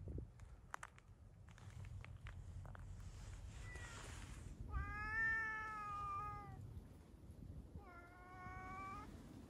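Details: Community cats living in a scenic natural spot near Okayama, Japan, met while travelling; two drawn-out harmonic meows, the first nearly two seconds long, the second shorter, after scattered clicks and rustling over low outdoor rumble.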